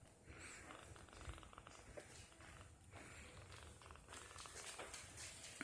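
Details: Three-week-old kitten, content while being bottle fed and teething, purring: a soft, steady low rumble pulsing continuously through the clip, with faint rustling and handling noises above.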